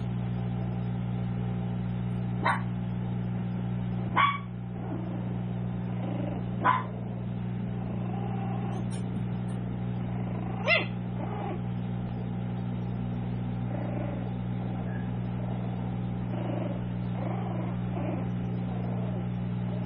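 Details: Tiny toy poodle puppies, seven weeks old, at a small home-based breeder: four short, sharp high yips spaced a few seconds apart over a steady low electrical hum.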